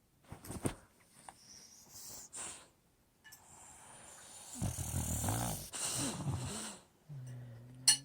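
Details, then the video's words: Sleeping Old English Bulldog named Lucy: scattered snuffles and clicks, then a long raspy wheezing snore with wavering low tones, ending in a short nasal drone. "Old English Bulldog snoring"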